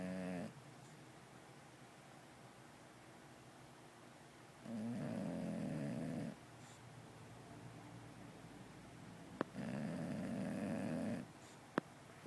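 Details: An English Bulldog in a deep sleep, twitching, snores loudly with long, rasping, rumbling breaths separated by quiet pauses.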